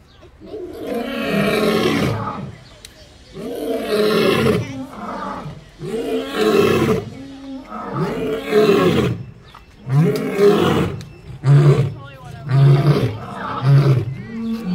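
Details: Lions at Fresno Zoo in July 2021 roar in a steady series of deep, rasping bellows about every two seconds.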